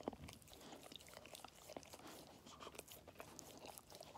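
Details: Labrador Retriever puppy, five months old, munching treats in a small room, with sharp crisp crunches coming in quick uneven bursts and no other clear sounds.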